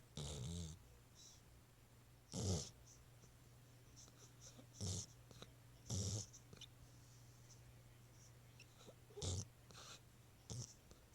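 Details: Pet dog snoring at night indoors: short, rough, noisy snorts at irregular intervals over a low steady hum, with quiet pauses between breaths.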